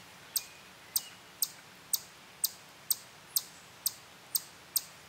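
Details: On a tree trunk in a sassafras grove near a playground at Durand Eastman Park, a chipmunk stops eating and gives sharp, high chips about twice a second: a steady, stationary defensive call amid territorial chipmunks, with a robin's whinny alarm call behind.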